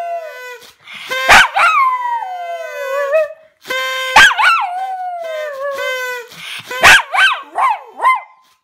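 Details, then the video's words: Toby, a dog, sings with loud rising-then-falling howls, ending in a run of short wobbling yips, over a constant low note heard throughout. "Моя Собака Поёт / My Dog Sings"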